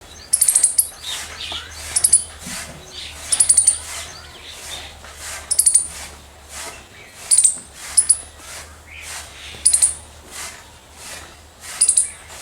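A squirrel calls with piercing, bird-like chirps, each burst a rapid run of short high notes. The clusters repeat steadily every one to two seconds over a faint low hum.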